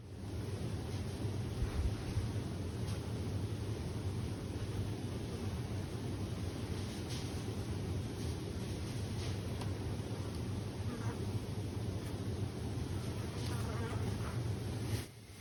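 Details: A deep, steady, unbroken roar of roughly 20–30 million western honey bees (Apis mellifera) humming together in 1,352 hives inside a Canadian beekeeper's winter shed, after a light snowfall.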